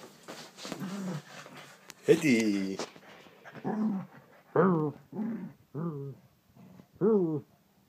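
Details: Teddy, a Shih Tzu, growls while playing with his toy sheep indoors: a series of short, low, harmonic growls and grumbles, rising into a louder whining growl, repeated roughly every second, with a person's voice nearby.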